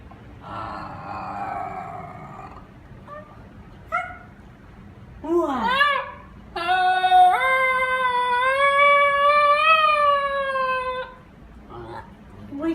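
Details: Ginger Snap, a talkative female Basenji, seemingly trying to tell something: a soft murmured note, brief rising yelps, then a long wavering yodel of about four seconds that rises and holds, ending in quiet low sounds.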